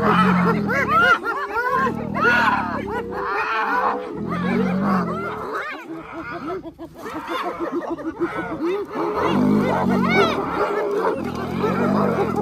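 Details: Several spotted hyenas, a clan coming together to save a clanmate from the jaws of a lion at Arathusa Safari Lodge in early August; rapid squealing, arching giggles layered over deep rumbling growls that pulse in heavy bursts.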